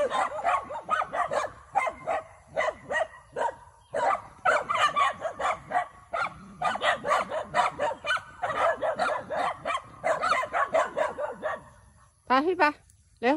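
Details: Four pet dogs barking at a horse grazing on a farm field in Chiang Mai province, Northern Thailand, on a June morning walk, apparently wanting to play; rapid, continuous overlapping yips and barks from several dogs throughout, a brief whine near the end.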